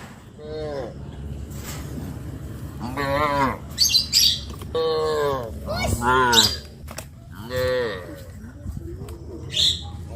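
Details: Cows walking to the green fields call their friends in a series of loud, arching moos, about five calls in ten seconds, with sharp high squawks between them and a low background rumble.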